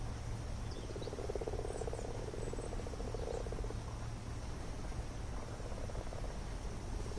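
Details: Common frogs massed for spawning in a garden pond, males piggybacking on females and others jostling on top, recorded close up; a grating pulsed purr for several seconds, then a fainter second caller, over low rumbling background.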